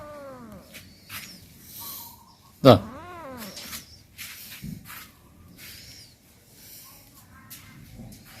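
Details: Pet cat playing in front of its home, giving a couple of rising-falling harmonic meows, one loud and sharp near the middle, amid quieter chirps and soft background sounds.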